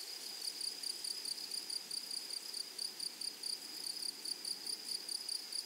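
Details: Grasshoppers in a flowery meadow on the prairie: high, buzzy chirps in short, evenly spaced pulses, about three to four per second, keeping a steady rhythm over a quiet background.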